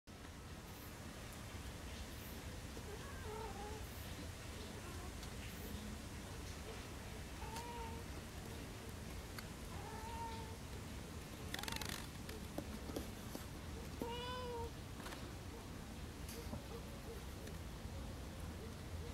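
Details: Large female tabby cat outside that wants to come into the house: four drawn-out, plaintive meows spaced several seconds apart over steady background noise, with a few knocks and a rattle midway.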